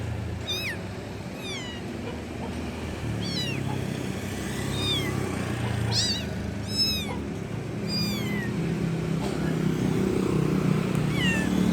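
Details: A kitten calls for its mother with short, thin, high meows, often falling in pitch, spaced one or two seconds apart over nearly twelve seconds, against constant low background rumble.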